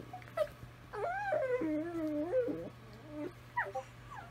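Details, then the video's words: Several Italian Greyhounds singing to each other: a long wavering, harmonic howl slides down and holds for almost two seconds. Short, higher yelping notes follow near the end over a steady low hum. "Italian Greyhounds singing to each other"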